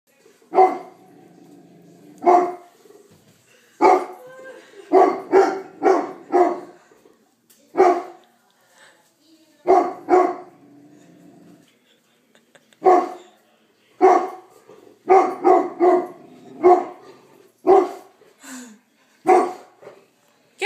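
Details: A golden retriever puppy barks in sharp, loud bursts, often three or four in quick succession, at a life-size cardboard cutout of a person, apparently taking it for a real intruder and protecting his family.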